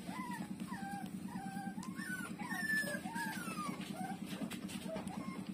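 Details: Puppy Lulu, a street dog, suckling at its mother while letting out a run of short squeaky whines, some dipping, some rising, over a constant throbbing low drone.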